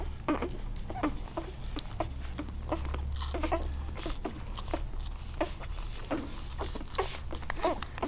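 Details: Litter of Irish Wolfhound puppies, born in Bulgaria on 23 June 2013, in a kennel: brief high squeals and whimpers scattered through the clip, with frequent clicking patter and a low background drone.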